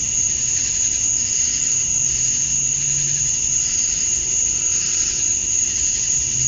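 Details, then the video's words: Georgia, USA, summer dusk: male cicadas chirping for females make a dense, shrill, pulsing buzz with a constant high whine, while a low steady hum rises briefly in the middle. "Cicadas at Dusk, Summer Night"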